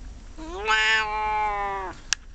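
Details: Domestic cat getting a scratch, letting out one long meow that swells upward to a loud, bright peak and then holds steady before fading, followed by a sharp click.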